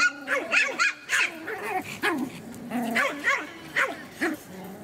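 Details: Three-month-old Pomeranian puppies from a kennel in Kyiv, Ukraine: a run of high, squeaky yips and whining cries with sliding pitch, about a dozen short bursts packed closely together.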